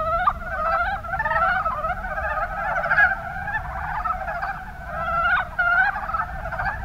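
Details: Mountain brown frogs from Kumamoto's Kuma Basin in Japan give quick, stuttering croaks in bursts, several callers overlapping in a lively chorus with distinct clicking pulses rising above a continuous hum.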